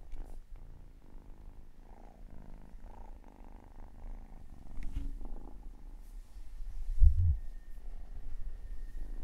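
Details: Kitten named Octavia purring, a steady low rumbling drone with soft rhythmic pulsing throughout, a brief louder thump near the seventh second, faint incidental background noise.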